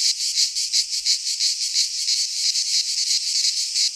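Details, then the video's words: Greek pine forest cicadas in midsummer: a bright, piercing buzz that beats in fast regular pulses, about three per second, continuing steadily with no break. "Cicadas singing in midsummer - Nature sounds from the Greek fauna - Sounds of cicadas"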